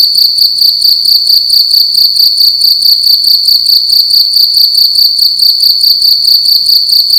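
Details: Nighttime cricket inside a room producing a loud piercing chirp, pulsed rhythmically at a brisk steady pace, roughly two to three beats each second, with nothing else audible.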